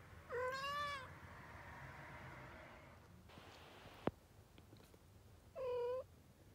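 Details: Kittens three weeks old give two short, high, slightly wavering meows about five seconds apart, separated by a quiet stretch with a single sharp tap.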